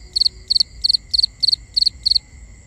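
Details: Crickets calling at night, binaural recording: a steady rhythm of seven high, trilled chirps, each a tight cluster of three to four pulses, repeating about every third of a second above a faint continuous insect tone.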